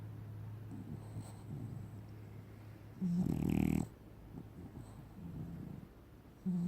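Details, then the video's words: A black-and-tan French Bulldog snoring. Low, rumbling nasal breaths are interrupted by a louder, raspy snort burst lasting under a second midway. Another loud snort starts at the very end, over a steady faint hum. "French Bulldog, black and tan has a good snore"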